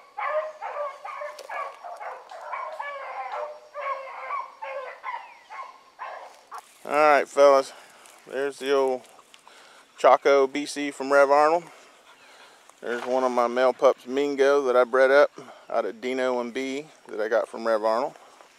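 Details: Hound pups on a rabbit chase one morning, with Ringo, Mingo and Choco leading. Distant overlapping baying gives way to closer, long, drawn-out bawls that rise and fall in bursts, separated by short pauses.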